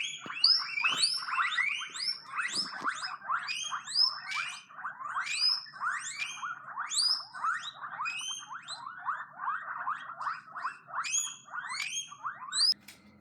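Guinea pigs wheek in a steady stream of shrill, rising squeals, excited calls for food or attention.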